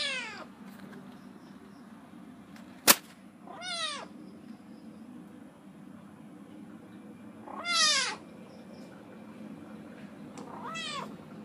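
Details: Domestic Medium Hair kitten, four months old, found in a backyard and offered for adoption, known to meow often; four short rising-falling meows spaced a few seconds apart, plus a sharp click near three seconds and low background hum.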